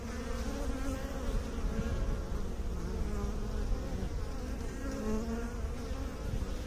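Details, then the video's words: Continuous buzzing of bees kept by beekeepers: a thick, low droning hum with several overlapping tones that drift gently up and down, no pauses. "Bee song"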